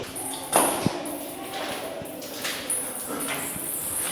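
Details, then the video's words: In a narrow former sea cave in Keelung, Taiwan, once an air-raid shelter, high, thin bat squeaks come in short bursts, echoing, with a man's voice and footsteps; a large bat was glimpsed flying off. "うわ、マジでコウモリの声がでかい。"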